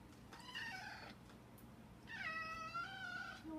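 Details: Indoor domestic cat meowing for food gives two meows: a short nasal cry, then after a pause a longer, clear, slightly falling meow, over a steady low hum.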